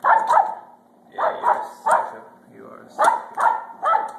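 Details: A worked-up female Pembroke Welsh Corgi at home, called feisty by her owner, barks in a rapid series of sharp yaps, roughly seven in four seconds, while the owner talks over her.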